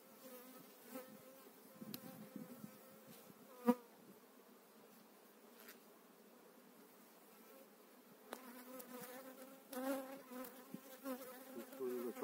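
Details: Spring 2018 transfer of an eight-frame honey bee colony into its own hive; continuous buzzing hum with clear overtones, swelling in the last seconds, with a few sharp taps and knocks of equipment.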